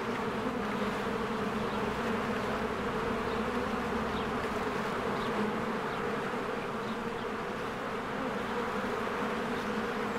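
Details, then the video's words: Spring hum of many bees flying in and out of their hive while flowers bloom: a dense, steady low drone with a strong band throughout, a busy rustling texture above it, and faint high chirps of birds scattered in the background. "1 Hour of a Beehive ASMR"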